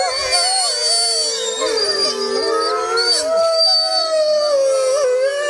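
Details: Six Arctic wolves howling together in a pack concert; many overlapping voices waver, rise and fall, with high yips and wavering tones layered over lower sustained howls throughout.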